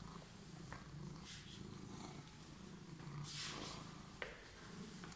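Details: Emerald-eyed cat purring after waiting for someone; a steady low rumbling purr pulsing about four times per second, with a few soft clicks and rustles over it.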